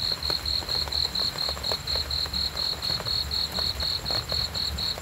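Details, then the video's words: Cricket chirping in darkness for relaxation: clear shrill pulses repeating about twice a second in a steady beat, set against low background noise. "cricket sounds sleeping"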